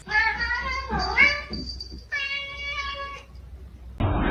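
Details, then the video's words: Domestic cat calling with long, harmonic meows: a wavering cry that dips and rises, a pause, then a second sustained, level meow, against a faint low hum and a burst of noise at the end. "cats meowing"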